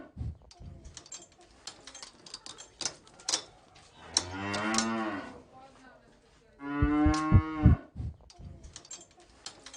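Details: Farm cow mooing twice: a long, low, droning moo with rich stacked harmonics, then a louder moo that breaks off abruptly, with scattered clicks and knocks in between.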